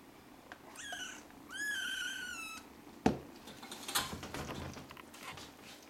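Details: Ragdoll kittens seven weeks old, a litter being fed breakfast indoors; two short high kitten meows, the second longer and wavering, followed by clicks, bumps and soft rustling of feeding.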